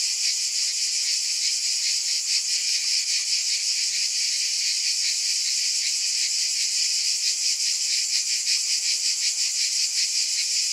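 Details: Cicadas in a continuous loud chorus: a hissing, high buzz with a soft throbbing beat of roughly two to three pulses per second, and nothing else audible.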